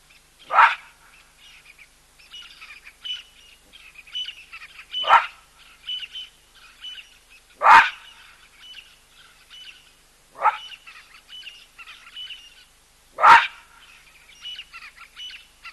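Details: Baboon giving loud calls at a drinking place shared with a skittish cheetah and an elephant: five sharp, harsh barks spaced a few seconds apart, with steady high bird chirping between them.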